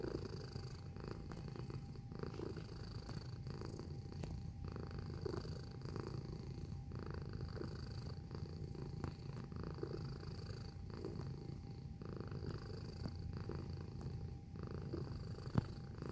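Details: Domestic cat filmed close up, purring: a continuous low, quiet rumble with soft rhythmic pulses roughly every second, steady throughout, over a faint constant mechanical hum.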